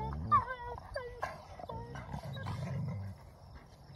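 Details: Two wolfdog puppies, Silas and Bear, quarrelling over a found object; a low rumbling growl runs underneath, while short high whines bend up and down in the first half.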